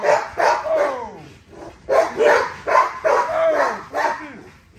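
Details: A female XL ghost tri American Bully named Nyla barks in bursts of about three during an exercise session. The harsh, ringing barks come with whiny downward slides between them.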